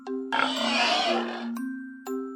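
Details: Pig giving a harsh, noisy squeal lasting a little over a second, rough and bright rather than low, set against steady background music tones with short chime-like sounds before and after.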